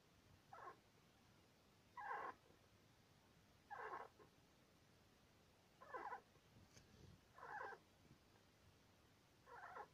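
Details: Six short, raspy mid-pitched squeaks from a sleeping pet Syrian hamster named Sweetpea, male, two years two months old, spaced irregularly every one to two seconds like snoring, in a quiet indoor room.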